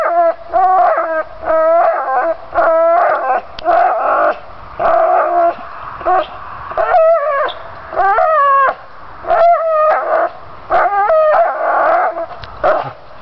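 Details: Stubborn pit bull tearing at pine branches, a long run of loud nasal whining howls, steady notes broken by quick rising and falling bends, bursts coming roughly every second with brief pauses.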